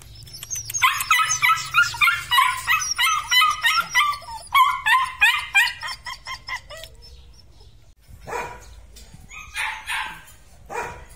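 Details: Weaned litter of red-and-black Belgian Malinois puppies yapping: rapid runs of high, sharp barks from several overlapping voices for about seven seconds, a brief quiet gap, then a few more yips near the end.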